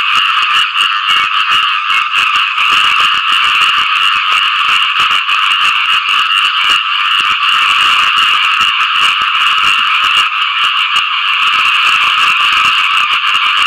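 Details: A loud, steady mass of frog calls rings out after rain as the animals seek mates. Harsh, rattling croaks repeat rapidly and blend into one constant buzzing wall of sound.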